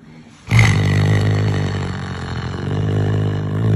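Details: Caracal named Floppa Clara growling: a sudden deep, rough, sustained rumble that starts after half a second and continues steadily to the end, with a brief higher rasp at onset.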